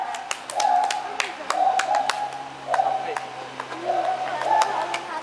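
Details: Lar gibbon (white-handed gibbon) in Kaohsiung: a series of loud, steady hooting notes, each lasting about half a second and repeated roughly every second, over sharp clicking or tapping sounds and faint voices.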